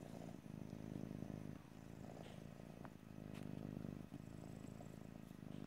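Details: Domestic cat's steady purr in stereo, a dense low rumble pulsing in breath-length waves, with a faint rustle between swells; no talking.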